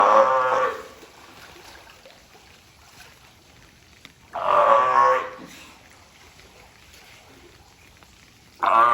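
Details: A California sea lion at Ehime Prefectural Tobe Zoo, recorded on April 20, 2022, gives hoarse, honking calls, each under a second long, three times about four seconds apart, with quiet background between them.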